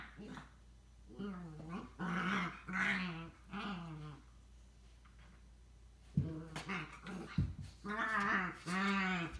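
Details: Pet Scottish Terriers, a little sister and an older brother, giving drawn-out voiced grumbles and whining moans in uneven bursts, each lasting about half a second to a second, with quiet pauses between them.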